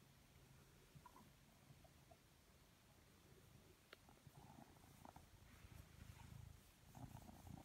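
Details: Blue British Shorthair cat lounging lazily indoors, purring contentedly: a soft, low, continuous rumble that swells gradually louder toward the end, with a few faint clicks and light household noise.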